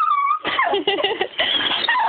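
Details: Pet dog greeting its owner home from school, its everyday welcome noises indoors in a small room: a steady high whine that lifts briefly, then a tumbling run of broken, warbling whimpers and yelps with barely a pause.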